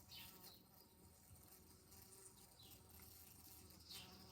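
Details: Bee trapped at a window indoors in July, buzzing loudly enough to wake someone: a steady, droning hum with low harmonic tones, plus brief higher chirp-like sounds near the start and end.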